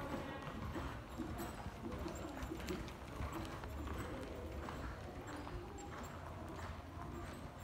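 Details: Qoffee, a Belgian Warmblood horse (2016), moving with quick, uneven hoof thuds at about ninety a minute over a steady low rumble, with faint voices and some music in the background.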